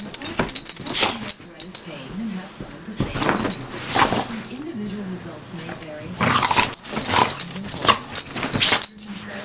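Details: Putter, a pet dog who hates the smell of a muscle-soothing cream, gives low, wavering grumbling whines indoors while a person talks and a television drug commercial plays loudly over it.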